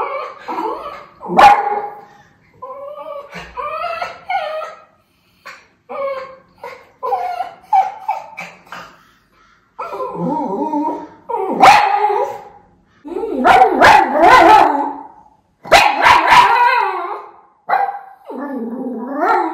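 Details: Miniature Schnauzer, a white puppy, watching for crows outdoors in Aroostook County, Maine, on August 27, 2021; a long run of excited, varied barks, yips and whining howls in quick bursts, some rising and falling, with short pauses.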